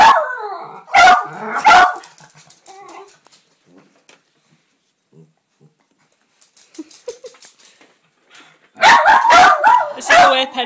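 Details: Pet Jack Russell terriers barking during a birthday barking contest: a pair of loud barks, a long quiet stretch with faint soft sounds, then a rapid burst of five or six barks at the end.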